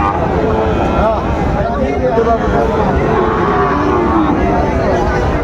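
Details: Sahiwal bull calves at a busy cattle market on 20 June 2024, with a trader from Chattogram buying; a low, drawn-out moo rises through a dense hubbub of human voices and market noise.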